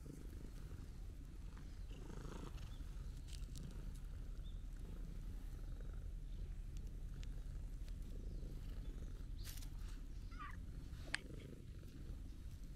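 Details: Small, round stray calico cat met for the first time, gently rubbing against a person: steady low rumbling purr throughout, with one faint brief high chirp near the end and light outdoor background.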